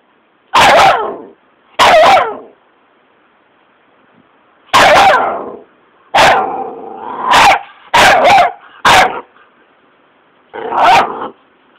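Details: Patterdale terrier pup barking fearlessly at a caterpillar: loud harsh barks, some single and some in quick pairs or triplets, one drawn-out bark-growl in the middle, separated by short quiet gaps.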